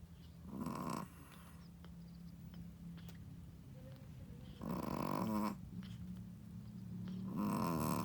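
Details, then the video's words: Shih Tzu first-time mother dog asleep, snoring loudly: rough, rattling snores about one second long, three in eight seconds, with quieter breathing between. "How loud does a shih tzu mommy snoring?/ Shih tzu snoring"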